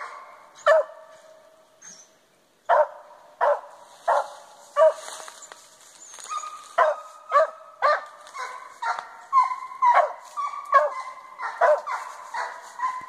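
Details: Dogs on a squirrel hunt in South Arkansas give a steady run of harsh barks and yelping bays, roughly one every half second, with a brief quiet gap early on and faint rustling between barks.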